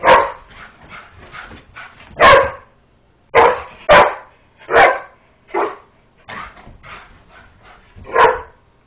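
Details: Playful chase around a couch between a greyhound and a springer spaniel inside a home; clusters of quick yips followed by loud, well-spaced barks, repeated about every half second to second.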